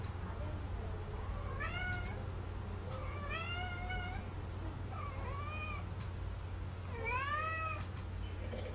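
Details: Mong, a neutered male Munchkin Napoleon house cat, pesters its owner for treats. Four drawn-out meows, each rising then falling, come about every one to two seconds over a constant low household hum.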